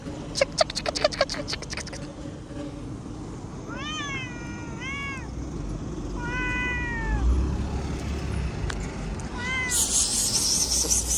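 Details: Domestic cat meowing three times in the second half: wavering, level mews, then a falling one. Sharp clicking comes first, and a steady hiss and rumble run throughout.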